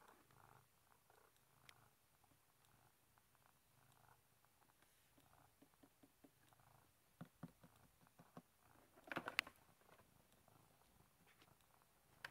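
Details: Velo, a domestic cat wedged behind a bookshelf and seemingly enjoying it, purring in a steady low pulsing rhythm, with scattered clicks and a brief burst of rustling toward the end.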